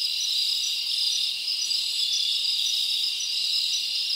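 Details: Crickets chirping together on a summer night in the forest, producing a constant high, shimmering buzz of overlapping trills at even volume.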